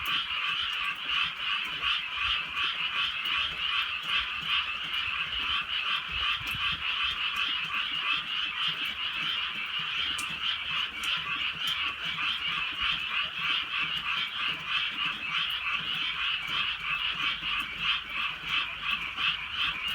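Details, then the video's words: Rainy night in the Korean countryside with a thick, unbroken frog chorus of rapid croaks pulsing near three per second, drizzle hissing softly throughout. "개구리 소리"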